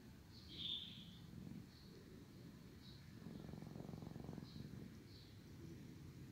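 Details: Sleepy cat JJ purring loudly while his brother Chim licks and cleans him; a low, steady rumbling purr with fine rapid pulses, swelling in the middle stretch, with soft high ticks scattered above.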